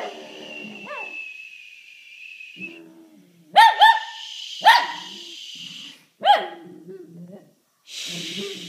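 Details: Shih Tzu reacting to a sneeze with a few isolated sharp barks and a yelp spaced a second or so apart, over a steady humming background tone.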